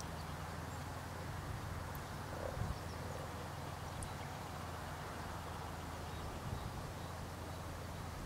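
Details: European common frogs (Rana temporaria) in springtime at spawn, giving a low, continuous purring chorus, a soft rumble of overlapping croaks.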